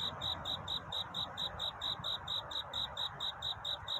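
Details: Cricket singing to find love during a night of courtship at dawn: bright, evenly spaced high chirps, roughly five per second and about nineteen over four seconds, steady throughout above a soft broadband hiss.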